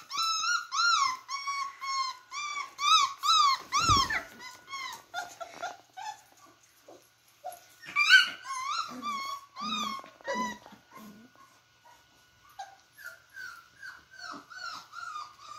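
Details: Beagle puppies at play make a rapid run of squeaky whines and yelps, about two per second. A brief low growl comes around the fourth second, then more scattered whimpers, softer yips and pauses.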